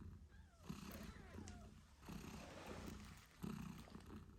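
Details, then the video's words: British Shorthair mother cat nursing her kittens eight days after birth, low rumbling purr throughout with a couple of brief louder bursts and faint thin kitten squeaks sliding in pitch, no music. "Cute Kittens Meowing Yawning Sleeping Cat Mom Purrs Loudly 🥰 8 Days After Birth British Shorthair"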